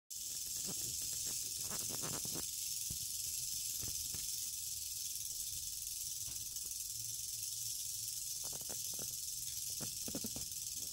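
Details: Eastern diamondback rattlesnake, a female, rattling: a continuous dry, hissing buzz held steady through the whole stretch, with a few faint low knocks and thumps underneath.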